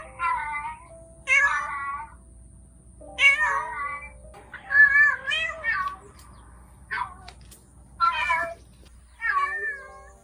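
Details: Female mother domestic cat, a yard cat who has gone missing, heard calling: six or seven loud harmonic meows, each under a second, rising then falling, spaced about every one to two seconds over a steady faint background hum.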